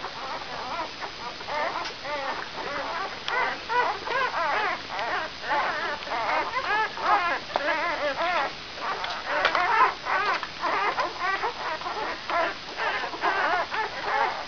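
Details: Brown Labrador Retriever puppies, five days old, from the E litter of Benja, squeak and whimper almost continuously in overlapping high wavering cries, several pups at once against a faint hiss.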